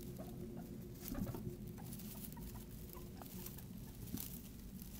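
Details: Guinea pigs kept as pets utter a few short, faint squeaks and low murmuring notes amid continuous rustling of bedding and small clicking sounds.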